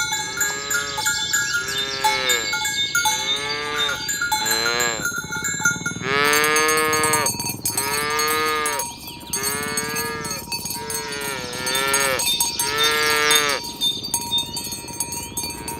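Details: A herd of tame cows moved along village roads toward the pen in the morning, calling one another to gather: a long run of repeated short, rising-and-falling moos from several animals, roughly one a second, amid constant ringing cowbells.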